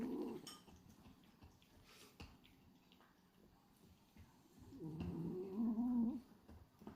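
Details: Indoors, the male French Bulldog Hachi, pied black and white, sleeps with tongue fluttering; a short rasping snore opens, then quiet, then a longer, louder, wavering snore builds and fades near the end.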